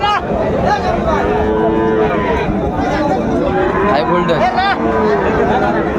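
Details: Bull calves of Friesian and cross breeds at Raniganj market in Dinajpur, Bangladesh, on market day. Several overlapping moos, some wavering and rising toward the end, sound over constant chatter from buyers and sellers.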